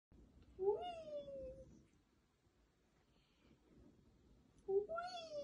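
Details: Indoor pet cat in Germany, wanting its owner to keep spinning it on a chair, gives two drawn-out meows: the first rising then sliding slowly down, the second starting near the end, with quiet room noise between.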